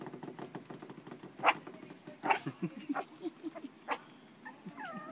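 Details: Four-week-old terrier puppies make soft, scattered whimpers and low grunts, ending in a few high, thin squeals that rise and then fall.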